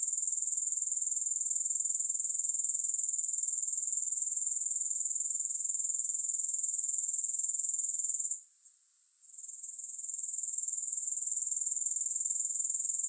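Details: Steady chorus of grasshoppers with no music, a thin high-pitched pulsing buzz that holds constant for eight seconds, cuts out for about a second, then slowly returns to its earlier level.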